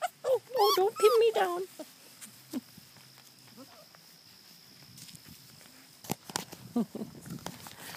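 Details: Four-week-old Labrador Retriever puppies from a litter of six, three yellow females, two black females and one yellow male, whelped August 14, 2012, give a burst of wavering, high, strained whines and yelps near the start, then scattered rustles and taps.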